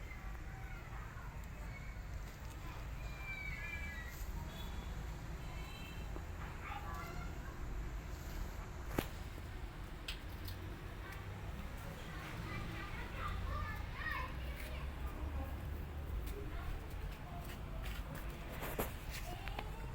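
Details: Tiny kitten, scared after its mother leaves it alone, gives faint, high, short meows in a cluster early on and another burst later, over steady low hum and scattered clicks.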